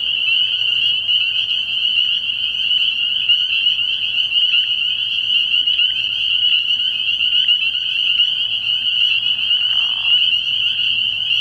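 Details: Spring peepers in a dense night chorus at a frog pond early in the year: countless high, shrill peeps merge into a steady ringing band, with individual notes flickering through it for the whole stretch.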